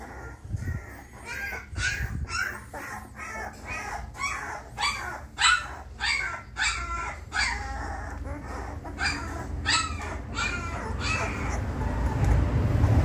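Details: Twenty-day-old female Labrador Retriever puppies, three of them, calling with short, high whining yelps repeated roughly twice a second in uneven bursts over a steady low background hum.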